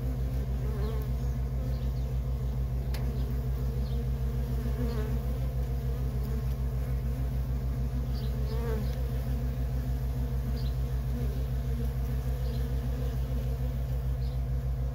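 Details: A steady swarm-like drone of worker honey bees coming and going at a feral colony, with occasional louder passes of single bees over a throbbing low background hum.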